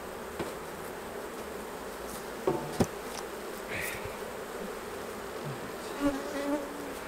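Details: Continuous low droning of honey bees at the hives while honey is harvested and each frame is brushed clear of bees, broken by scattered clicks and a couple of knocks.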